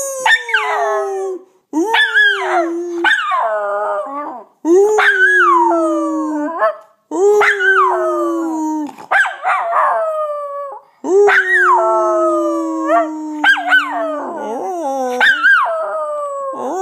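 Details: Miniature Schnauzer howling in a run of drawn-out, tonal wails, each rising briefly then sliding down in pitch, about seven bouts over seventeen seconds with short breaks between; a few yelping notes break into the later howls.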